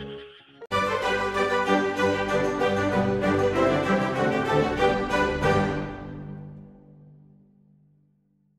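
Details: No animal sound is heard, only an instrumental music passage that starts suddenly and fades out at the end.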